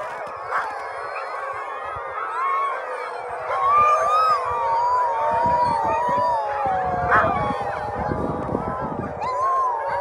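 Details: Several Greenland dogs at Ilulissat, Greenland howl together in long, wavering, overlapping tones while waiting for their owners.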